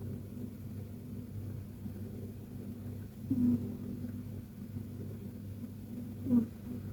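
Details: Persian cat KTO asleep in a deep, cozy nap, giving soft little snores: two short breathy snorts about three seconds apart over a steady low hum.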